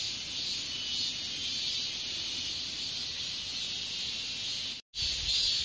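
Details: Katydid, Hexacentrus japonicus japonicus: a continuous, shrill, high-pitched buzzing that is steady and unbroken except for one short pause near the end, set against faint low background noise.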